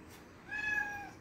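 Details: Domestic cat meowing while wanting to drink cola: one drawn-out, clear harmonic meow lasting about half a second, steady in pitch, then tailing off, against a quiet indoor background.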